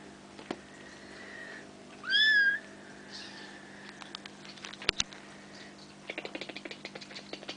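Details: Almost five-week-old Bengal kittens of Ariel and Dream playing; one short, loud, rising kitten meow near two seconds, with a faint earlier mew, sharp knocks and a burst of rapid ticking patter later, over low hum.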